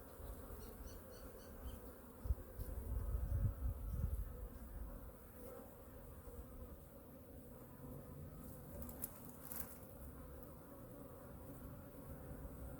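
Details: Winter checkup of honey bee hive #2, with reserves checked and the colony fed: a continuous colony drone, a louder burst of low rumble around the third second, and a few faint ticking knocks later.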